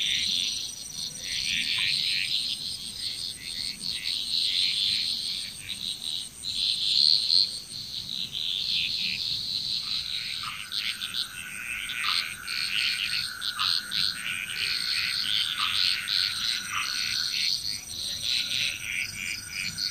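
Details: Frog chorus in Bali, Indonesia: a dense, continuous mass of overlapping high croaks and chirps, joined midway by a steady lower tone broken by short repeated pulses, over a constant high insect-like hum.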